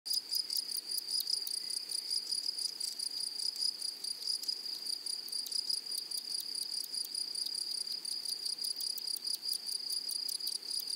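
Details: Grasshoppers in a flowery meadow: a steady, high-pitched buzzing tone with a fainter upper band, cut by rapid irregular ticking pulses throughout; no other clear sounds.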